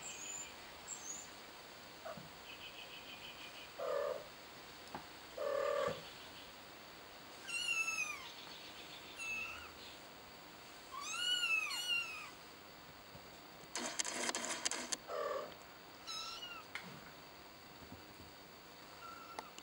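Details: Kitten licking water from its paw gives thin, high meows in short bursts, each arched in pitch, clustered in pairs and triples with pauses between, plus a brief noisy rustling burst near the end.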